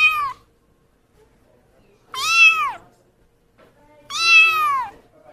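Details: Kitten mewing insistently indoors, two loud bowed meows about two seconds apart after a cut-off call at the start, each sliding down in pitch, clean and harmonic against a quiet room.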